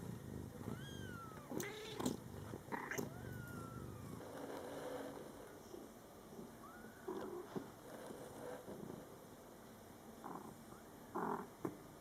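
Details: Scottish Fold kittens, born July 22, 2012, in their first month with their mother cat: several thin, high-pitched mews that rise and fall, scattered over twelve seconds above a low background purr and rustling.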